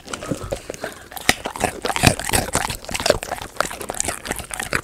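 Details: Golden retriever eating snacks such as raw chicken, handmade jelly, dried treats, fruit, vegetables or sweet potato, recorded indoors; sharp, irregular crunching and biting clicks come several times a second, with wet chewing between bites.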